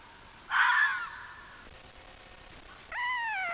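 A fox gives a hoarse, rasping yelp, then a drawn-out, slightly falling wail.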